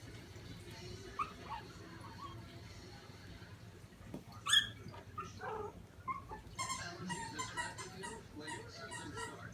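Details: Five-week-old Shih Tzu puppies, eight in a litter, at play; scattered high squeaky yelps and whimpers, with one sharper cry midway, under a person talking to the pups by name.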